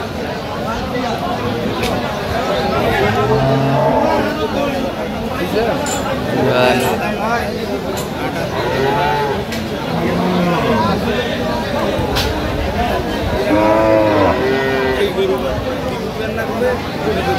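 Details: Cows with calves at Aftabganj cattle market in Dinajpur, Bangladesh, 6 September 2025; several drawn-out low moos rise and fall amid constant crowd chatter and bargaining voices.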